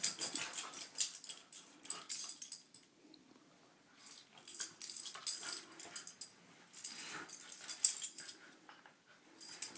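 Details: Corgis brawling on a bed in the morning, one named Taziki; rough bursts of snorting, wheezy huffs and scuffling come in clusters with brief quiet gaps, indoors in a small room.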